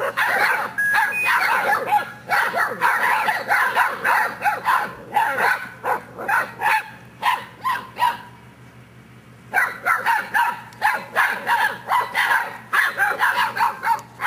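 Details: English Mastiff puppies, Geronimo x Edie litter at seven weeks old, barking together: dense runs of short, overlapping yaps and yips repeated almost continuously, with a brief quiet gap midway, then more rapid barking.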